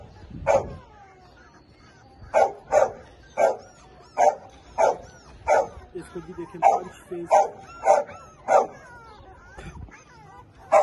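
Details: Labrador Retriever puppy in Lahore giving a run of short, sharp barks, about a dozen in eleven seconds at an uneven pace, each a brief mid-pitched burst, with quiet gaps between them.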